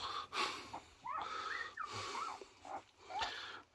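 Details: Border Collie Coco, a mother three days after giving birth to six puppies, indoors and excited over chicken seaweed soup. High whining squeals bend up and down in short slurred phrases, separated by snorting breaths and rustling.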